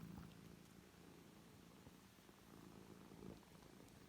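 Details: Soft, steady low purring from a rescued foster cat family, a mother and her five three-week-old kittens kept safe indoors. The rumble is even and continuous for about four seconds, with only faint room hiss around it.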